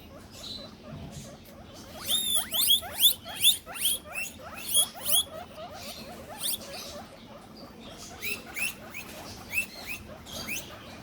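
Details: Several pet guinea pigs wheeking and squeaking as soon as their owner enters the room: a rapid burst of loud, sharply rising whistled squeals clustered near the middle, then scattered quieter squeaks over a low background hum.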